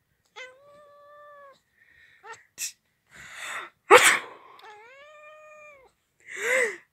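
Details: Domestic cat meowing in response to a person sneezing: two drawn-out, level meows about a second long each, separated by sharp sneezes and noisy bursts, with another short meow at the end.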